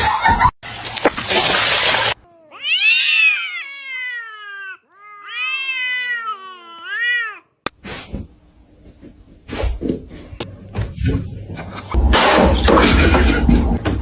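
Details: Domestic cat giving long, wavering, harmonic-rich yowls: two drawn-out caterwauls that rise and bend, framed by bursts of broadband hissing noise and clatter before and after.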